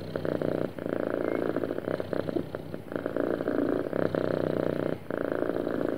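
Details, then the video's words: Happy domestic cat purring smoothly: a steady low rumbling purr in continuous pulsed bursts, broken by brief pauses for breath near 0.7 and 5 seconds. "Happy Cat Purring Smoothly"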